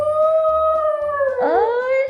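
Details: Kong-i, a pet Poodle, singing: a loud, sustained, even-pitched howl held for over a second, then dipping and sliding back up in a smooth wavering glide, with soft background sounds beneath.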